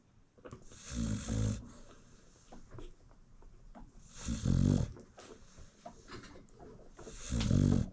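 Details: American Bully mother dog snoring while she nurses her newborn puppies: three deep, rasping snores, each about half a second long, repeating roughly every three seconds, with quiet shuffling and suckling noises between them.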